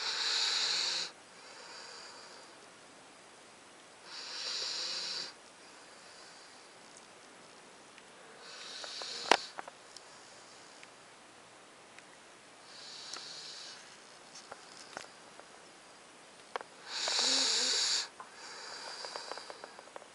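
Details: Snoring from Titan, a 9-week-old Alaskan Malamute pup fast asleep: rough, hissy breaths every four to five seconds, with a sharp click and light rustling midway and a louder snore near the end.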